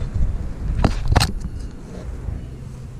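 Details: Deep outdoor rumble of wind or a passing vehicle, broken by two sharp bumps, with no animal sound.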